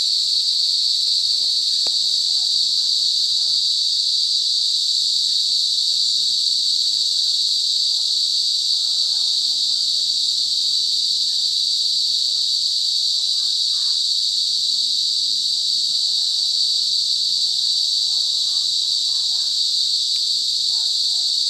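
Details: Cicadas in a forest giving a loud, high, unbroken buzzing drone that holds steady without pauses for over twenty seconds, with only faint low rustling beneath.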